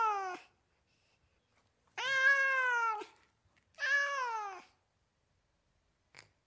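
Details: Domestic cat from California giving repeated meows: a short tail of one call, then two long, rich, slightly descending meows close together, followed by a faint brief sound near the end.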